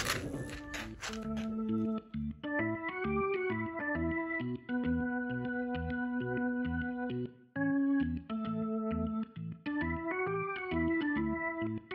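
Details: A bouncy organ tune with a repeated chord pattern and short pauses plays throughout after a brief noisy opening.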